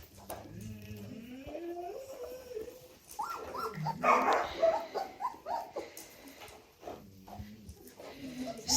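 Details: German Shorthaired Pointer puppies whimpering indoors near their mother: thin, wavering whines that rise and fall in pitch, come in short uneven runs and overlap a person talking nearby.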